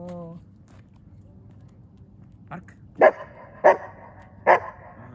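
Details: Eight-month-old Australian Shepherd during obedience training in Sofia: after a short spoken command, three sharp single barks come about two-thirds of a second apart, with quiet room tone between.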